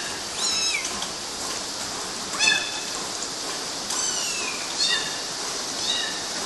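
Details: Several short, high kitten meows, some falling in pitch, scattered over a steady hiss while the kittens climb mosquito nets in Galati, Romania, in June 2012.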